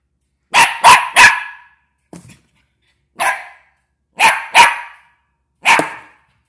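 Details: A West Highland White Terrier puppy barks at a box, giving sharp, high-pitched yapping barks in quick bursts.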